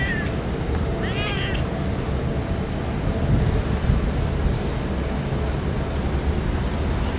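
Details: Stray cats crying on a typhoon day before being fed: a single short, arched, slightly wavering meow near the start, then only the steady low roar of wind and storm noise.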